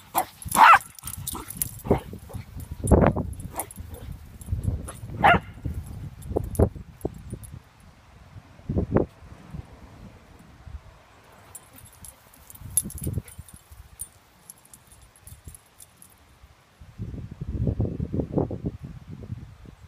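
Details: Shih Tzu puppy on a play date with another Shih Tzu puppy; short, sharp bark-like bursts come in irregular clusters over scuffling and thumps, a quieter lull mid-way, then a rougher, longer burst near the end.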